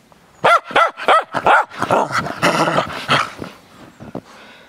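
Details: Cairn Terrier frolicking in snow: a quick run of four yappy barks, then a rougher, more continuous grumbling bark sequence trailing off into softer yips.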